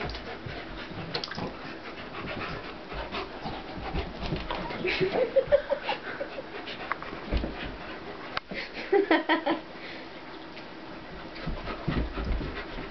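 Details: Two dogs play fighting, a pitbull named Corona of about 75 lb and a German Shepherd named Warlock of about 150 lb; rough panting, snuffling and short growly vocal bursts in uneven clusters, with brief whimpering tones and scuffling noise.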